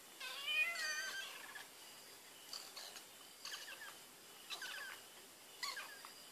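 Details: A cat sniffing at Whiskas lets out one clear, drawn-out meow at the start, followed by quick, faint clicking and rustling sounds against low hiss.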